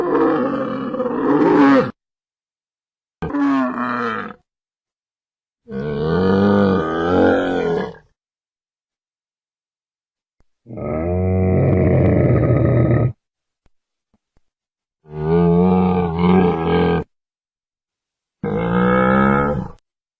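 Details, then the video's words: Camel calls in a compiled series: six separate bursts of deep, gurgling, groaning roars, each lasting one to two and a half seconds, with rich low harmonics and silent gaps between bursts; no other sounds. "CAMEL SOUND EFFECT 낙타 울음소리"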